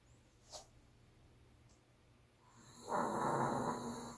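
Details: A sleeping Pomeranian snores heavily: one long, breathy, rasping snore after a brief soft click.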